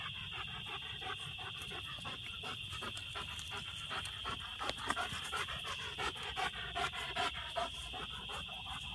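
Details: German Shepherd that has treed two raccoons in a peach tree, panting in steady rapid breaths at about two and a half per second, over a constant high-pitched hum throughout.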